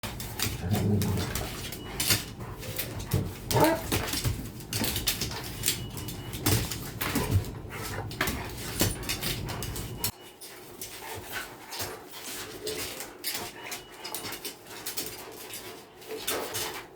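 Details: Little dog playing with a big dog, acting like a big dog herself: brief whiny, growly notes in the first few seconds over steady scuffling and thumping, then quieter rustling after about ten seconds.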